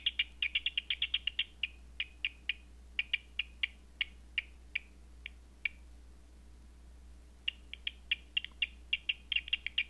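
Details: Bat echolocation calls picked up at night on a Batseeker 4 bat detector: rapid dry clicks in quick bursts, about four per second, thinning out mid-clip with a near-silent pause before dense bursts return, over a steady low electronic hum.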